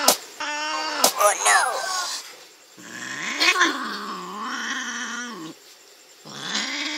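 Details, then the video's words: Kittens scrapping with an older young cat in Andhra Pradesh, India: long sliding, wavering yowls and growly moans in several bouts, separated by short quiet gaps. "indian baby cats funny fight-with big young bro cat"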